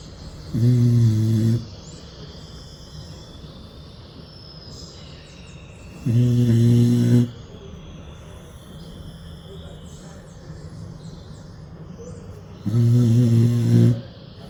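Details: Pit bull snoring in a calm sleep on a porch: three low, droning snores, each about a second long, spaced roughly six seconds apart, with quiet outdoor background between them.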